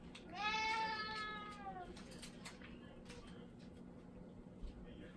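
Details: Indoor domestic cat, confused when its beloved owner's daughter wears an oni (ogre) mask while speaking in her own voice, gives one drawn-out meow that starts high and slides down over about a second and a half, then quiet room noise.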